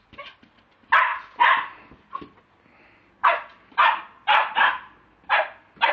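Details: Mobile-phone recording of a Lakeland Terrier barking: a few soft yips, a pause, then loud sharp barks coming about twice a second.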